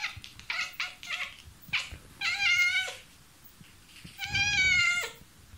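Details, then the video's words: Domestic cat, a vocal pet, meowing as though talking to a mosquito indoors: short chirps, then two long harmonic meows, each near a second, falling at the end, with quiet room sounds between. "Cat Talks to Mosquito"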